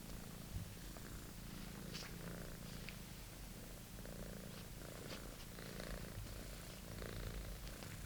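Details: Low, even purring from Monty, a British Shorthair kitten, busy with his old favourite toy; rumble runs unbroken through the clip, dotted with small scratching and rustling sounds.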